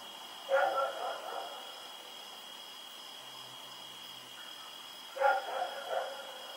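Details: Rex, a dog out at night on 7 October 2018, gives two short bursts of hoarse barks several seconds apart, each a strong bark followed by softer ones, over a persistent high whine.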